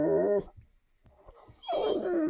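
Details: Bullmastiff, male, indoors, wanting to go outside and asking for a walk: a loud, harmonic, moaning whine at the start, a quiet pause, then a second drawn-out, falling whine-groan.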